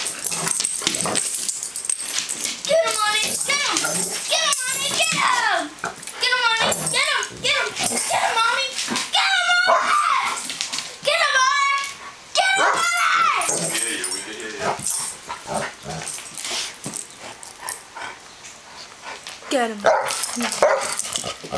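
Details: Two pet dogs play-fighting indoors: Onyx, a female Black Labrador/Cocker Spaniel mix around nine with hip problems, and Nathan, a year-old male miniature dachshund. Repeated wavering whiny yips and growl-like cries come in quick bursts, with a person talking throughout.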